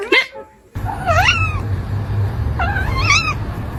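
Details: Brown kitten calling to attract cats, giving two drawn-out wavering meows that rise and fall in pitch, over a steady low background hum, with a brief sound at the very start.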